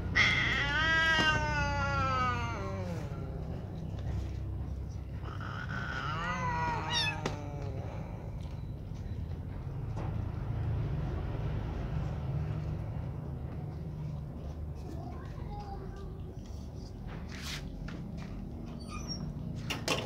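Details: Gray baby kittens, several of them, eating together and being naughty; two long, drawn-out meows with falling tones in the opening seconds, then steady chewing, shuffling and low rumbling background noise with a few sharp clicks.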